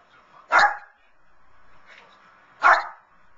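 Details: A Lhasa Apso cheering on the 2011 Puppy Bowl on TV gives two sharp, high barks about two seconds apart.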